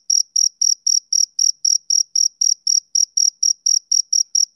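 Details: Steady chirping from a male cricket, crisp high pulses evenly spaced at roughly four per second, a pure insect sound with a quiet background.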